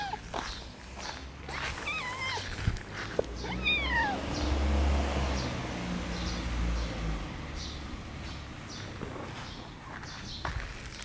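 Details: Red tabby park cat, one of three brothers observed outdoors in a park a few days after being trapped and castrated, gives two wavering, falling meows in quick succession over steady low rumble and faint rustling.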